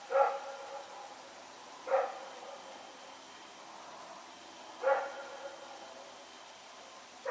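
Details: Rex, a dog, barking while running around at night, recorded September 21, 2018: single loud barks spaced two to three seconds apart, four in total, with steady low background hum.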